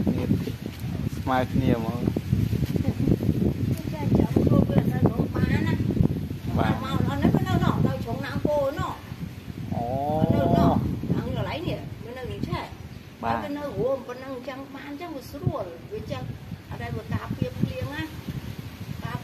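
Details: Abandoned kittens, left by their owner at a pagoda, crying while being fed: many overlapping wavering meows that rise and fall, repeated steadily throughout, with rustling and handling noises underneath.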